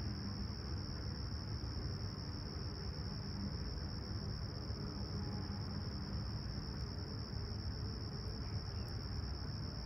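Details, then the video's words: Crickets at sunrise on a calm, clear summer morning, 28 July 2020, at Humber Bay Shores, Toronto, 20ºC. A steady, unbroken high-pitched trill runs throughout over a heavy low rumble of distant city noise. "Serene Summer Toronto Morning With Chirping Crickets"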